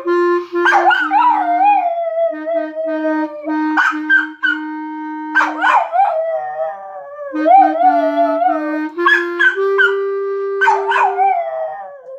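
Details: A poodle "sings" along to "What a Wonderful World", giving drawn-out howls that swoop upward and slide down, each a second or two long with brief breaks, over a sustained instrumental tune.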